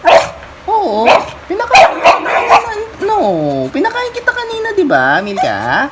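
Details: Beagle kept as a household pet in the Philippines, giving drawn-out, bending woo-woo howls that swoop down and rise again, several in a row with short gaps, while a person talks over them.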